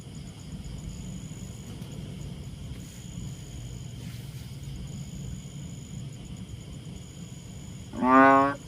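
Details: A pet banded bullfrog gives one short, deep, lowing call over a quiet background hum.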